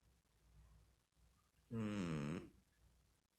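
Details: Snoring cat in a quiet room, a single coarse, vibrating snore of under a second rising out of soft background breathing and fading quickly.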